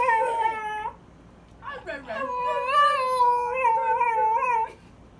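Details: A dog makes an unusual, untypical noise while kids play with him: a sustained, howl-like tonal moan lasting about a second, a short pause with a sliding yelp, then a longer warbling, gently wavering tone of roughly two and a half seconds.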